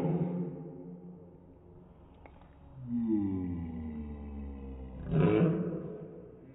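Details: Dachshund sneezing, heard in slow motion: deep, drawn-out sliding tones sweep downward before a rough, breathy burst near the end, all stretched and lowered in pitch.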